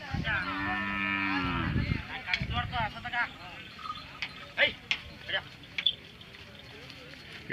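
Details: Hallikar cattle at the 2025 Magadi cattle fair, Ramanagara district: a deep, harmonic moo lasting almost two seconds, then crowd chatter, clatter and scattered voices.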